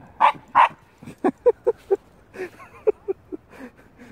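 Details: A young Shiba Inu on a walk gives two sharp barks at a stray cat, then shorter yips, while its owner tries to calm it.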